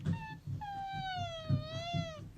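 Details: Domestic cat, from the pair Theo and Alfy, asking to go outside: a short meow, then a long, drawn-out meow that sinks slowly and lifts a little before ending, over a low indoor rumble.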